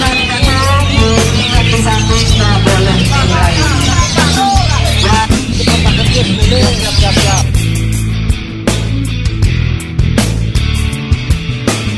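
Loud rock music with heavy bass, guitar and drums throughout; no bird or other animal can be picked out.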